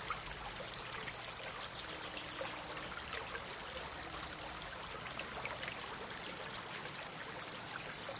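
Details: Crickets singing, males rubbing their elytra to attract or court a female or drive away other males: a continuous high-pitched shrill chorus that briefly softens midway, with short faint chirps repeating over a rushing background.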